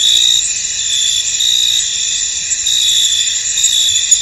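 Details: Foggy field at night-like calm, filled with a continuous shrill cricket chorus; layered high trills hold almost steady, with only faint swells and no clear separate pulses.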